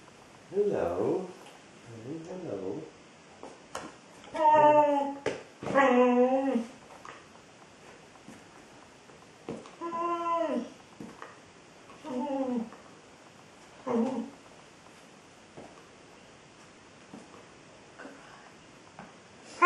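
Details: Indoors, a female Border Collie talks to her ball in a series of short, curving grumbles and whines, each about a second long, separated by pauses, rising and falling in pitch like chatter.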